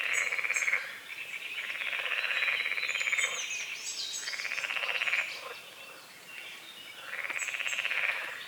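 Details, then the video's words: Dawn croaking of frogs on a misty forest-edge lake, with rasping, finely pulsed calls arriving in rounded bursts every couple of seconds and scattered bird chirps in the background. "The sounds of morning frogs croaking"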